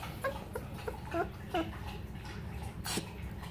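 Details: German shepherd boxer mix puppies, 17 days old, with parents 20 months old; short high squeaky whimpers come in a quick run of about six in the first second and a half, then quiet with a brief rustle near the end.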